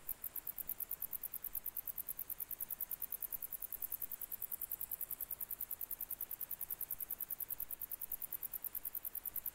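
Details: Grey bush-cricket singing in July 2021: a steady train of very high, dry ticking pulses, about seven per second, unbroken throughout, over a faint low hiss.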